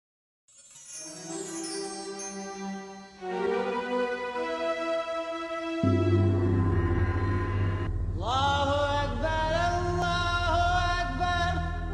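Chanted vocal music with sustained harmonic tones and a low drone, with no animal sound.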